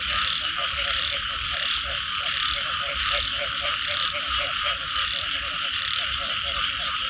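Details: Post-rain frog calls: clipped croaks repeated roughly 90 times a minute, irregular spacing, with an unbroken high droning chorus and a rapid beaded trill overhead.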